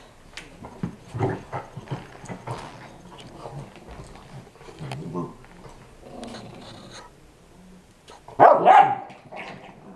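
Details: A 5 lb Chihuahua play fighting at home with a 25 lb Pitbull puppy: low, rough growls and grumbles come in irregular bursts, ending in a louder sharp bark near the end, with a person's voice in between.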